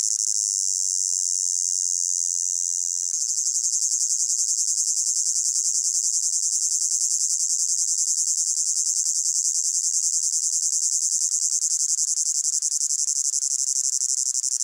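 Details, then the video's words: Summer meadow crickets in heat, mixed from layered recordings: an unbroken high-pitched trilling wall of sound whose texture shifts after about three seconds into a finer, busier shimmer that continues steadily to the end. "Sound of Crickets in a Hot Meadow"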